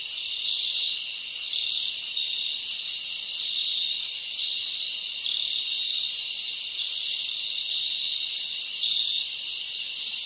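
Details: Tropical crickets from the Dominican Republic, many calling together in a rainforest ambience: a dense, steady high shimmer of buzzing trills with faint pulsing accents, continuous throughout with no other clear sounds.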